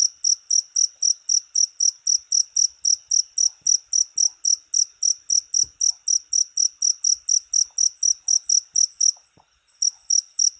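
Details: Continuous high cricket chirping, short pulses in quick regular succession, with a brief pause about nine seconds in before the chirps resume; faint low knocks in the background.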